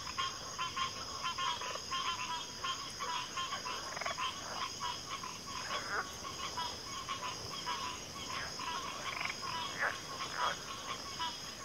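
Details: Thick chorus of frogs, with rattling croaks rising and falling in waves, occasional deeper sliding notes standing out, and a steady shrill hiss running underneath throughout.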